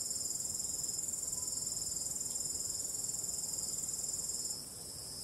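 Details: Night-time cricket chirping with calm wind: rapid, regular high trill pulsing about four times a second, fading somewhat near the end, with a quiet wind hiss in the background.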